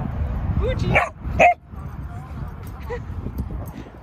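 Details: Cream dachshund puppy based in San Francisco, playing with visiting friend Chestnut indoors: two short, sharp barks close together around the first and a half second, then quieter rustling with a steady low background rumble.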